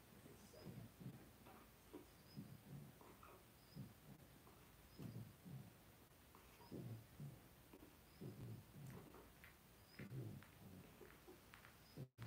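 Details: Indoor pen holding five two-week-old blenheim Cavalier King Charles Spaniel puppies, born at New Year's: repeated short, low, throaty grunts and soft snuffles come roughly twice a second in uneven clusters, all quite faint.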